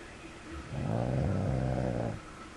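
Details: Dog snoring while asleep: a short, low, rumbling snore lasting about a second and a half, with a steady buzzing tone over quiet room background.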